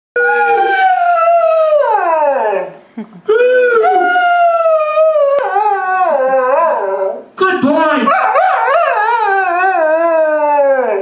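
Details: A 17-year-old pet dog howling along to music, guitar and an amplified voice: long wavering tonal howls with rich harmonics, sliding down then rising, in three sustained phrases with brief breaks between them.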